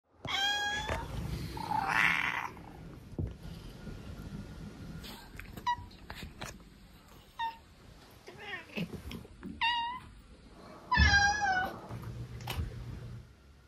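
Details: Domestic cat using several different voices indoors: short harmonic meows and chirps scattered through, a long bright wavering meow near the end, plus a noisy breathy sound early on and soft room noise between calls.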